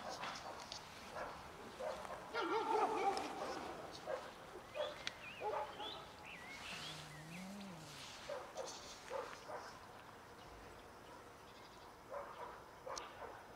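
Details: Cats in a family group that tries to mate and then eats produce bursts of wavering mews, one low rising-and-falling wail in the middle, and quiet shuffling sounds.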